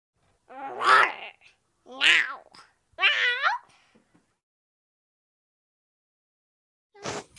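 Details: Rescued homeless kitten giving three loud, rich, wavering meows about a second apart, each rising then falling, followed by a quiet gap and a fourth shorter meow near the end.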